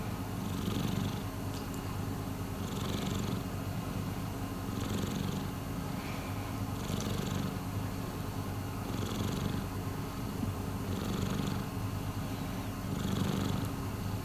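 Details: Miiko, a rescued domestic cat, purring indoors: a steady low rumbling purr that swells and fades with each breath, roughly every two seconds, with a soft hiss in the upper range on each cycle.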